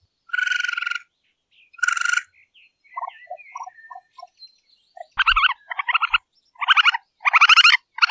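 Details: Raccoon heard at night, its sound likened to twirling cotton candy: two buzzy pulsed bursts, then soft low tooting notes, then a quicker run of harsh, stuttering, chattering bursts with a low thump.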